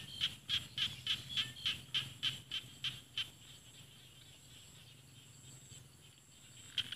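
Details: Rice-field frog in Thailand's Isan countryside, with mountains nearby. About ten crisp, high, evenly spaced pulses come at a quick steady pace and then stop, leaving quiet low hum, with one last pulse at the end.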